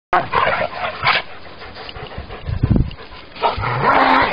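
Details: A Rottweiler playing with a wolf at a park gives rough, harsh barking bursts with a deep, rumbling growl in between; Rottweiler.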